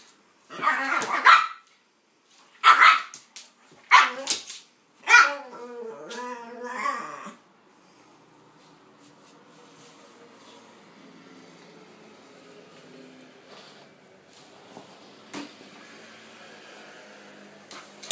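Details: Two dogs, a pitbull and a King Charles spaniel named Kaiser and Viki, playing together indoors: a burst of five sharp, harmonic barks in the first seven seconds, then only faint room noise and soft rustling.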